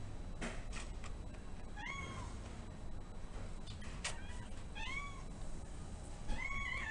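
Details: Shy male Domestic Shorthair cat, newly arrived at a shelter and awaiting adoption, a bit overwhelmed; three short, clear meows, each rising then falling, spaced roughly one and a half to two seconds apart over a steady low indoor hum.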